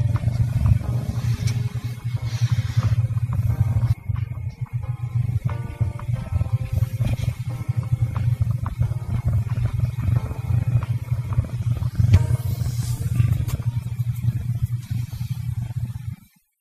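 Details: Wesley, a pet cat, purring loudly and continuously: a deep, throbbing motor-like rumble that holds steady for over sixteen seconds, with faint higher tonal sounds in the background.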